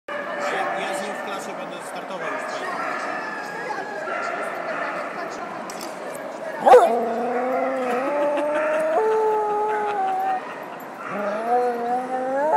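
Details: Tibetan Terrier named Justus, called 'the wolf', howls in long sliding tones from about the midpoint, with overlapping harmonics that rise and fall, over steady background voices talking.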